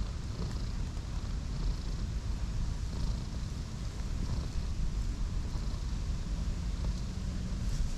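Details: Two cats, a cream one and an orange tabby, huddle together for warmth on a bed of grass in a park; a steady low rumbling purr runs throughout, with faint traffic-like hum in the background.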